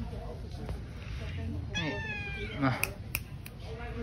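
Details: Tei Tei, a cat visited at a pagoda, gives a single drawn-out meow that starts high and slides downward, with people talking quietly in the background and a few sharp clicks afterward.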